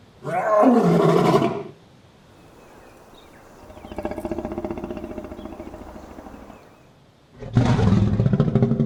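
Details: In the African savanna, a lion roars in deep, rasping bursts, with a run of softer rhythmic grunts between them.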